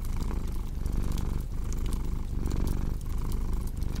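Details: Purring cat paired with cozy fireplace sounds for deep sleep: continuous low rumble rising and falling roughly every second and a half with each breath, bright crackles and snaps from burning wood throughout.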